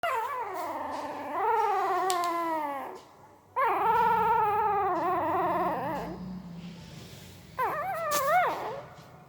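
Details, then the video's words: Puppy making sounds while sleeping: long tonal whimpering howls that rise then slowly fall and waver, in three drawn-out cries separated by brief pauses, indoors in a quiet room. "Puppy Sound while Sleeping II Puppy Making Weird Noise with Mouth II सोते समय Puppy की आवाज"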